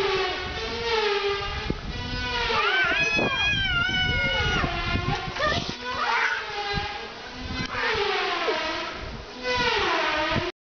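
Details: Cats fighting, giving continuous wavering, drawn-out yowls that rise and fall in pitch, overlapping and swelling in loudness, with some thumps and scuffling between the cries.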